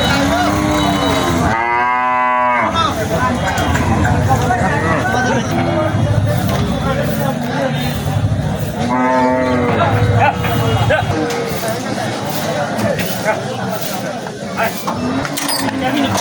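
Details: Cattle at a busy cattle market in Bangladesh: two drawn-out harmonic moos, one around two seconds in and another near nine seconds, amid loud crowd chatter, voices and vehicle noise.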